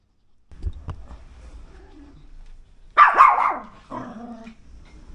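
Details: Timid Pomeranian that barks a lot, barking during a training session while the trainer works to stop the barking right away; low indoor rumble and quiet speech first, then two short, sharp bursts of yapping barks.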